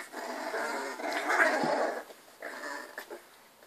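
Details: Three-week-old Miniature Bull Terrier puppies at a kennel, healthy and spirited, in their first play-fights: a raspy, harmonic growling whine swelling for about two seconds, then a shorter grumbling burst and faint scuffling indoors.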